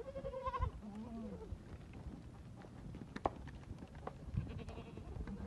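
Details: From a Bishi goat herd of 82 adults plus 40 kids and three bucks at Duqa: two short wavering bleats open, then only clatter and background rustle remain.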